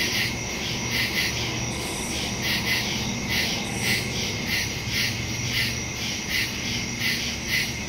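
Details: Woodland crickets calling at night on September 2, 2023, captured with a Samsung Galaxy S22 Ultra and Shure MV88+ microphone; continuous thin high trilling with a rapid series of pulsed chirps, roughly two per second.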